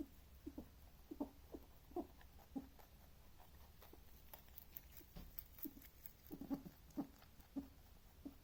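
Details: A male rabbit makes soft, short grunting clicks in uneven bursts while he eats.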